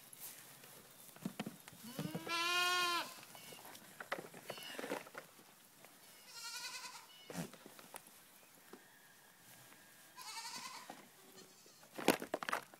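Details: Three-week-old goat kids bleat in wavering, harmonic-rich cries near two and a half, seven and ten seconds, the first long and loud, with scattered clicks and rustles around them.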